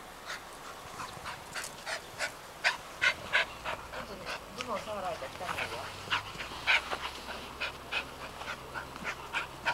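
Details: Arden, a female dog, plays with balls in a house garden, panting in quick breathy bursts roughly three per second, with people talking in Japanese partway through and a low hum underneath.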